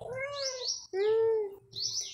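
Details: Domestic cat, called a Thai cat, kept at home: two drawn-out harmonic meows, the second louder and steady, with a woman talking to it and high bird chirps in between.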